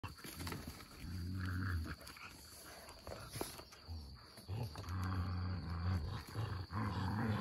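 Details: An Australian Shepherd and a Malamute trade deep, rumbling growls in long throaty bursts while play fighting.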